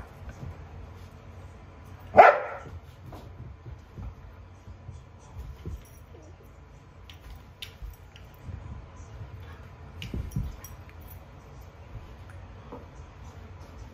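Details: Two Portuguese Water Dogs, an 8-week-old pup and an almost four-year-old, at their first play session together in a joyful, rambunctious, non-aggressive style called porty play; a single sharp bark early on, then soft scuffling and quiet thumps.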